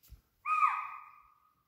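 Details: Near a water body at Pench, strong deer calls: a single loud, shrill call that holds steady, then slowly fades; spotted deer and swamp deer were calling, a tiger probably nearby downstream.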